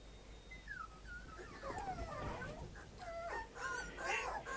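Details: Puppy aged 65 days, filmed on 28 May, giving thin, wavering whimpers and yips that rise and fall, in short bursts over a steady low background hum.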